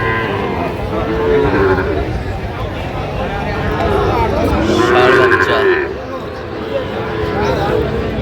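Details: Sahiwal bull calves at a crowded cattle market on 8 November 2025, being bought by a farmer from Dhaka; a couple of drawn-out, wavering moos rise over steady chatter and bargaining voices and a constant market din.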